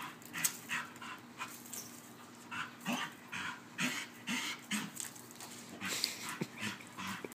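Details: A female Bull Terrier chasing her squeaky toy pants and huffs in quick, breathy bursts, with a few faint whimpers between them.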